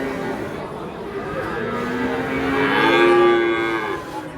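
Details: Angry cattle unloading from a truck: a swelling moo builds and peaks near the end, with a rising, strained quality. Faint voices and music sit behind it.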